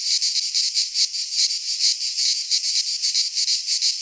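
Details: Midsummer cicada chorus from a pine forest in Greece, a steady shrill buzz that throbs in quick uneven surges, roughly once or twice per second, with nothing else heard.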